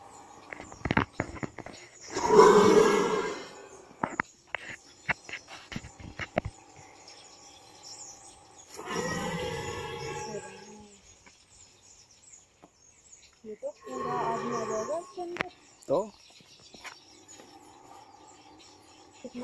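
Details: Mugger crocodile (Crocodylus palustris), roar.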